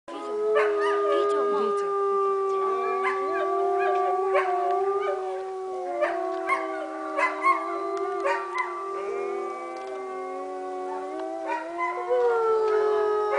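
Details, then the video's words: Wolves howling at Northern Lights Wolf Center in Golden, British Columbia, Canada: several long, steady voices overlap in a chorus, with sharp clicks and knocks throughout. "Wolf howling"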